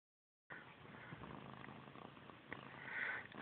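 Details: Domestic cat Missy Grey, obsessed with her tail since kittenhood, purring steadily as a soft, continuous, grainy rumble after a brief silence, swelling slightly near the end; a person's voice follows, scolding her to leave her tail alone.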